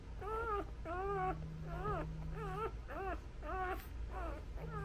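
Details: Nursing newborn Labrador puppies squeal in a steady run of short, rising-then-falling yelps, about eight in five seconds, each bright and arched, over a low background hum with a brief buzzing tone.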